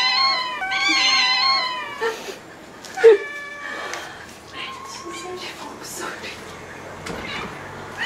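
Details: Ragdoll cat indoors at home in Korea, among eleven Ragdolls kept together; opens with a strong, harmonic-rich meow wavering in pitch, then softer short mews, a knock, and scattered quieter cries with faint background sounds.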